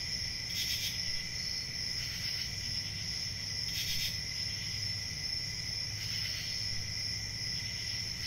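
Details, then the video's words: At night, many crickets trill without pause, with stronger chirping bursts recurring roughly every one to three seconds above a low steady rumble. "CRICKETS AT NIGHT"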